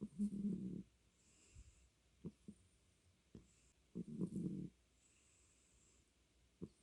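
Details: A domestic cat named Beom snores. Two rasping, buzzy breaths, each about two-thirds of a second long, arrive roughly four seconds apart. Faint clicks and ticks fill the quiet gaps between them.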